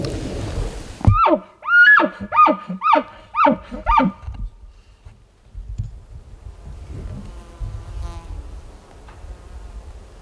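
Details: Elk in Colorado, part of a group called in by hunters during an over-the-counter hunt, give a run of six rising whistled bugles about every half second, then fall quiet to rustling and soft background noise.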